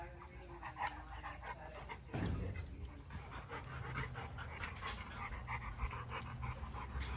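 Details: Large female Boerboel, a livestock and homestead protector, panting steadily: rapid breathy bursts repeating in a quick rhythm across the recording, with a louder gust of breath near the two-second mark and low background rumble.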